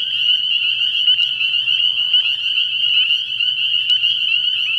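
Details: Many spring peepers at a pond after dark early in the year, their high peeping notes blending into one constant shrill trill, with a couple of brief sharp clicks and a faint low hum.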